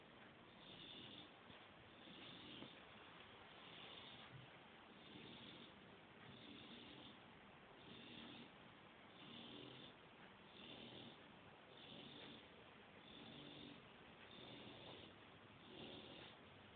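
An English Bulldog snores in a steady, rasping rhythm, roughly every second and a half.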